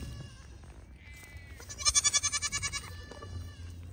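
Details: Young registered Pygmy goat at play on a farm in Knoxville, Tennessee, USA, giving a short quavering bleat, pulsed and wavering, rising out of quieter low background noise and fading after about a second.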